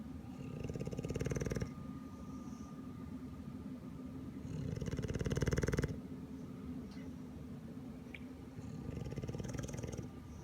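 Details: An English Bulldog stays asleep in an uncomfortable-looking pose, snoring in a deep, fluttering rumble at about four pulses a second, with louder rasping swells near the start, middle and end of each breath.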